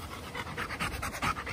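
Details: Chocolate Labrador Retriever on a Sunday morning walk, panting in fast, even breathy bursts, several in quick succession, with nothing else clearly heard.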